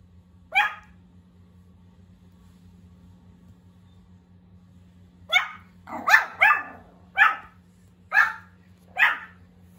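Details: First barks of a young Pomeranian puppy, small and high-pitched: one lone yap, then after a quiet gap a run of six sharp barks spaced under a second apart, over a low constant hum.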